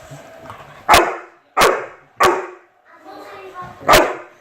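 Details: Chocolate Labrador playing with a fidget spinner, four sharp loud barks spaced irregularly over a few seconds, with faint voices and a soft whirring sound between them.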